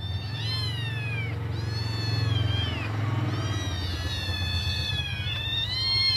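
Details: Hungry kittens, five in the litter, call for their absent mother to come back and feed them; long thin high mews with downward-sliding tails overlap almost continuously above a low rumbling background hum.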